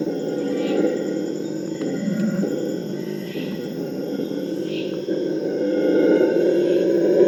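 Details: Purus red howler monkeys (Alouatta puruensis) in the Amazon give a morning chorus starting around 4 am, recorded in 2019. They roar together in a deep, rumbling, continuous chorus that slowly builds in loudness, calls thought to prevent fights between groups.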